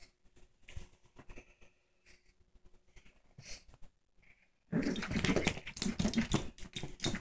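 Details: Female pet Shih Tzu attacking a new toy indoors; after a few seconds of near silence with faint taps and rustles, rough, noisy low growling bursts erupt and continue in rapid, uneven pulses to the end, mixed with scuffling.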